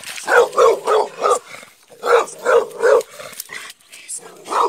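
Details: American Staffordshire Terrier barking in a rapid series of short, mid-pitched woofs, two bursts of four barks each, with a softer bark at the end.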